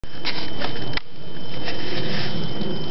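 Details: Steady indoor hum with a constant high tone and a soft knock near the first second; no cat sound is heard.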